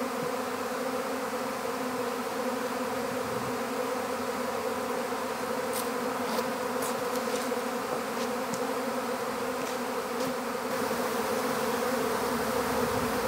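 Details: Swarming honeybees during capture in an empty beehive, giving a continuous thick hum with a steady low drone and several short sharp taps in the middle of the stretch.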